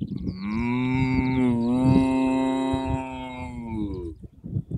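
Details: Cattle on an Irish field: a single sustained, rich moo filling most of the clip, low and steady with a slight dip midway, fading into brief rustling at the end.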